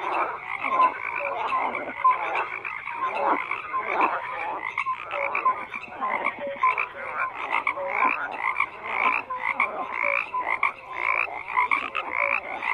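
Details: A continuous frog chorus: rasping, rattling croaks from many callers overlap without pause, punctuated by short bright whistle-like notes.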